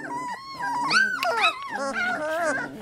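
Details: A group of 3-week-old Labrador Retriever puppies gives thin, wavering whines and sharp rising squeaks that overlap, while a person speaks softly nearby.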